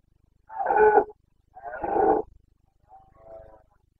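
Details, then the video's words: Rutting Carpathian stag, wild in Bucovina, recorded 29 September 2022 in breeding season: two long hoarse roars back to back, each about half a second, then a quieter, fading third bellow. "Boncănit / Carpathian stag Breeding season"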